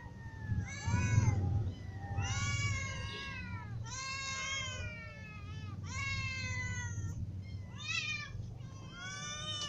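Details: Hungry ginger cat with little and adult cats meowing together: a steady chorus of repeated meows roughly every second, each rising then dropping, voices overlapping over a low droning background.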